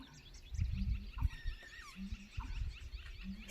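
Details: A backyard frog near a duck club gives deep, tuba-like croaks in short low bursts about once a second, with faint bird chirps, possibly a grackle, and rustling in the background.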